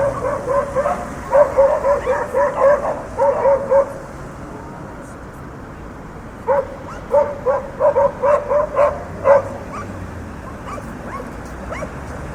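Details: City dogs barking over street traffic noise: two bursts of rapid, repeated barks, roughly two per second, separated by a lull of traffic hum, with fainter yips trailing at the end and cars moving along the street throughout.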